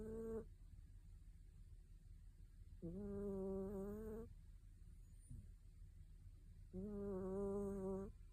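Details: A sleeping Mame Shiba Inu snores in a quiet room, giving three humming, reedy, tonal snores about a second or more each, spaced roughly every three seconds, over a low steady background rumble.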